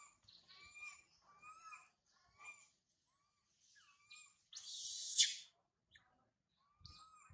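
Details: Baby monkey Sario crying loudly high in a tree after her mother Sarah left her: repeated high, tonal, harmonic wails in short bursts, with one brief harsh rushing noise partway through.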